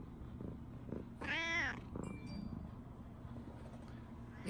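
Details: Indoor tabby cat greeting in the morning, appearing to protest that the Shiba dog is missing: one short rising-falling meow, then soft faint sounds and a man's voice wishing good morning.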